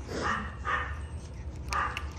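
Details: Dubu, a Maltese dog recovering from right cruciate ligament rupture surgery, at home the day before discharge. Three short tonal barks or yips sound at about half-second and one-second gaps over a quiet indoor background with low hum.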